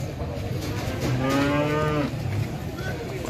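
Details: Limousin cattle, one of two head being checked at a farm in Boyolali, Central Java, give a single drawn-out moo of about a second, slightly falling at the end, against steady engine-like hum.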